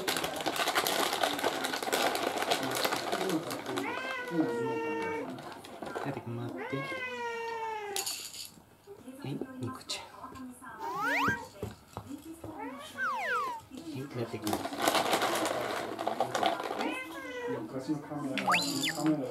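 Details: Young male orange-and-white rescue cat asserting himself before dinner, with a female American Shorthair waiting nearby; several bending, wavering meows come in bursts between human speech, and background music runs throughout.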